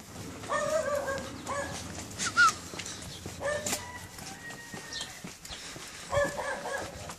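An Alaskan Malamute gives short, tonal, moaning calls, several separate phrases with pauses between them.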